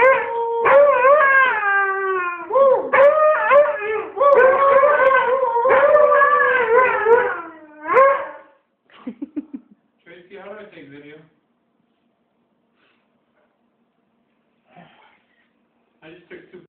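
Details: Wasabi the Husky howling with a boy for about eight seconds of long, falling and rising wails, followed by faint short whines and quiet scattered sounds.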